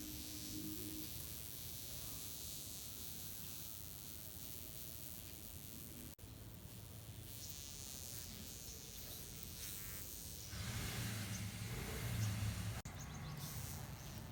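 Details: Burnt wasp with droopy wings, unable to fly, giving a low, steady droning buzz that wavers in pitch and swells louder in short bursts toward the end, over constant background hiss.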